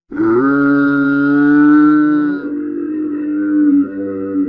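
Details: One continuous camel bellow lasting about four seconds: a low, droning, steady groan with a rich buzzing tone that wavers slightly near the end. No other sounds.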